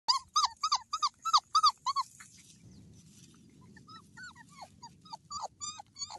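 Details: Great Dane giving a rapid run of short, squeaky, high whining yelps, about three per second, then a pause of nearly a second before more uneven, slurred whines resume.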